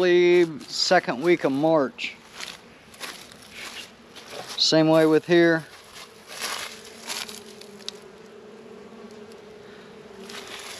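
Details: Honey bees working at Warre and Langstroth hives in a northern Kentucky apiary on a 72-degree February day. A man talks at first, then a steady low droning hum with a higher overtone continues, with light rustling.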